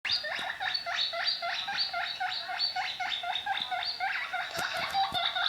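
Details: Pet guinea pig making a fast, steady run of short squeaky notes that each sweep upward, about four per second for the whole stretch, with a few sharp clicks near the end.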